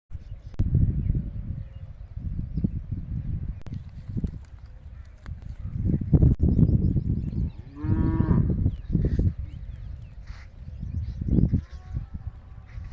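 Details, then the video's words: Goats with many lively baby goats running around a goat farm; one wavering, harmonic-rich bleat rises from the middle of the recording, surrounded by heavy low rumble, thumps and handling noise. "Cute Bakri Ke Bacche in Goat Farming | Goats With Baby Goats"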